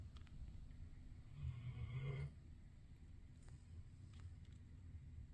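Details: A sleeping dog stretched out in a bed, not its own dog bed, gives one deep, rough snoring breath under a constant low rumble.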